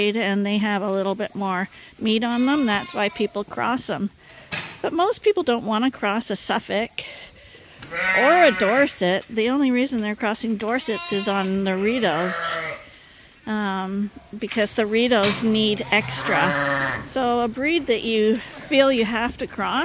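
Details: A crowd of lambs at Ewetopia Farms, trained to drink from bottles set in a holder, keeps up a dense chorus of tremulous bleats. Two brief lulls break the noise near seven and thirteen seconds.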